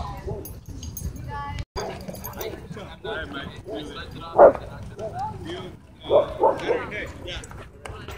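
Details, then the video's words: Dogs at a dog park, happy play interrupted by a dogfight: a run of short harmonic yelps and barks, with two sharp, loud yelps near the middle and end, over people talking in the background. "Happy Dog Park Play Interrupted By Dogfight"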